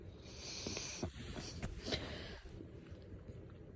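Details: German Shepherd waking its owner in the morning, giving a series of short breathy snorts and sniffs with a louder huff near one second and another near two seconds, then quieter snuffling.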